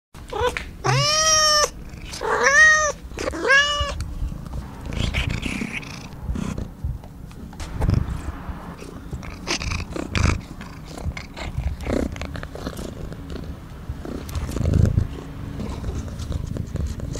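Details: Funny cat, purring: three rising-falling harmonic meows in the first four seconds, then a low rumbling purr with irregular soft thumps and rustles for the rest.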